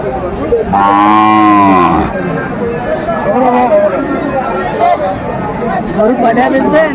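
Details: Sahiwal bull at a cattle market in Dhaka, Bangladesh, on 26 December 2024, where farmers buy bulls. One long, deep, droning moo lasts about a second, then crowd chatter and bargaining voices fill the rest.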